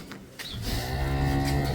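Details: Dairy cow on a dairy farm in Domar, Nilphamari district, Bangladesh, one of 18 to 20 milking cows brought from Gaibandha; a deep, steady, harmonic-rich moo begins after a short quiet start and holds to the end.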